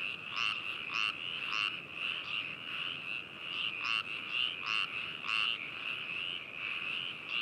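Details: Frogs calling at Hakushu, Hokuto City, Yamanashi Prefecture, Japan, recorded 4 May 2018 with binaural microphones: a steady high trill band with repeated croaking pulses roughly every half second, several animals overlapping into a continuous chorus.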